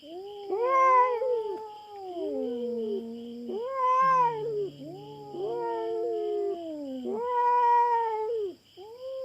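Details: On a Philippine farm, an intruding feral cat confronts a black cat over territory: long, wavering yowls swell and fade in repeated bouts, with a low growl in between and a steady high insect-like drone in the background.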